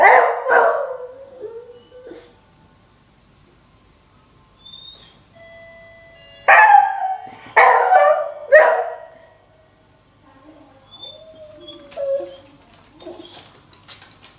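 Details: Whiskey, an aging nine-year-old beagle, reacts to the doorbell with a loud rough bark-howl, a falling whine, then three harsh howling barks about a second apart, ending in softer whines.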